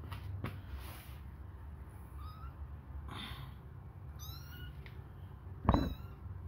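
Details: Hungry kittens suckling on a finger give thin, high mews with bright overtones, three short cries spaced a second or two apart, with soft rustling and a sharp knock near the end.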